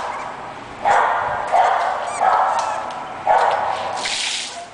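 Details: English Bulldog puppy barking in four or five clipped, tonal yaps spaced about a second apart, followed by a brief breathy rush of noise near the end.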